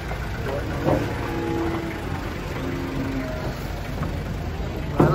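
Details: Speech over an idling vehicle engine with background music, with no animal sound heard.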